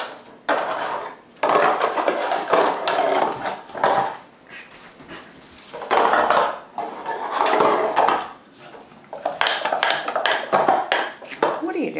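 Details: Loud crinkly rattling and clattering of a plastic container in bursts inside a small room, with no animal voice.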